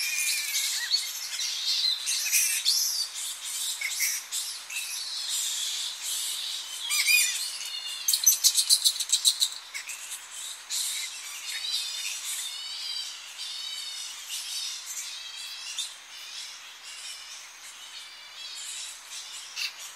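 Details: Colony of Tonga flying foxes settling into coastal roost trees in early morning, recorded close: continuous dense chorus of shrill, quavering squeals and chattering calls from many bats overlapping throughout.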